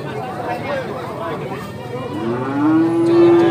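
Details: Limousin calf at the Legi cattle market in Pulung, Ponorogo, East Java: one long, steady moo that rises slightly and then holds in the final second, after a stretch of market chatter and background voices.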